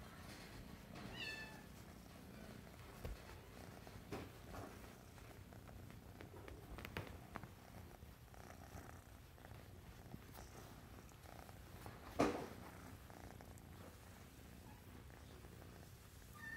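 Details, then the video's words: Sable classic tabby tuxedo RagaMuffin kitten, a boy, purring nonstop indoors: a continuous low, evenly pulsed rumble throughout, with scattered soft clicks and a brief louder knock midway. "Sable classic tabby tuxedo boy purrs"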